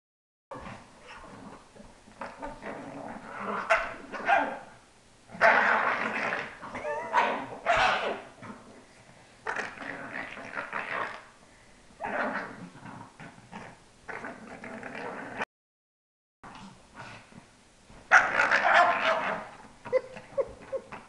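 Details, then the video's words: A female pug, one of two pugs in a household, making gross, funny noises: rough snorting, snuffling and grunting bursts in clusters, with brief quiet pauses between them. "The Noises of Pearl"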